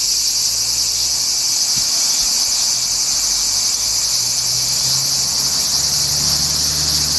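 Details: On 4 August 2017, cicadas heard but not seen fill the summer air with a constant, piercing electric-like buzz, steady in loudness, above a faint low hum.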